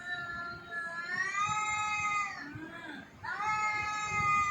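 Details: Jaggu the cat lets out a long, rising then falling yowl lasting over two seconds, a brief dip, then a second wail that swoops upward and holds steady.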